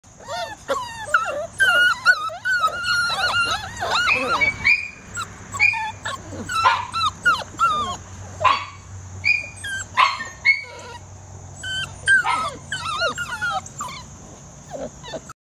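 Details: Scottish Terrier puppies, bred from imported European lines in black, brindle and wheaten, giving high, wavering whines and yelps in quick overlapping bursts, rising and falling, with a steady high electronic tone throughout and a low hum beneath.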